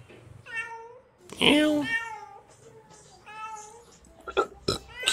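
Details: Hungry kitten calling with several short, mewing meows, overlapped by a person speaking and a few sharp knocking sounds near the end.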